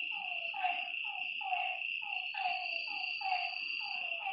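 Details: Lakeside frogs at night give quick, downward-sliding croaks in a steady rhythm of about two per second, several voices overlapping, beneath a continuous high insect whine.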